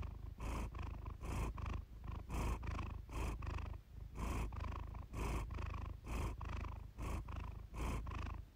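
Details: Steady purr of the pet cat Iris, recorded for relaxation; a deep motor-like rumble with rhythmic louder bursts as she breathes in and out, quiet background.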